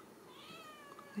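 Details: A Ragdoll kitten from a central Kansas home cattery lets out one drawn-out, wavering high mew, slightly rising then falling, in a quiet room, ending with a soft knock.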